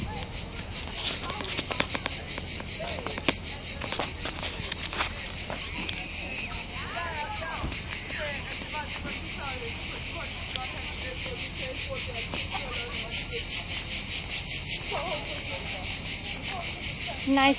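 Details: Cricket. A chorus of crickets fills the air with a shrill, continuous trill that pulses rapidly and steadily. Faint human voices and scattered splashes are heard beneath it.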